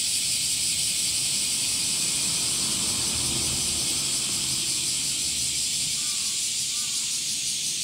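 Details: Summer chorus of male cicadas: an unbroken shrill, hissing drone with a rapid pulsing grain, steady in loudness throughout; a couple of brief faint chirps from another bird come through near the end.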